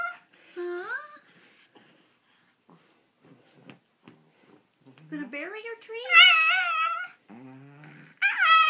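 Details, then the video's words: Almost 14-year-old female Pekingese agonizing over where to eat her treat, giving wavering, whiny, talk-like moans in short bursts, the longest a rising, warbling stretch near the end, while a woman speaks softly to her between them. "Talking Peke"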